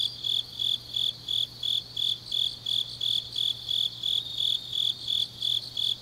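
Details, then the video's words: Grass insects singing on a deep autumn night in Changnyeong, Korea: piercing, evenly timed chirps near three per second, each a short pulsed burst, over a faint wash of other insects and low hum. "깊은밤 가을 풀벌레 소리"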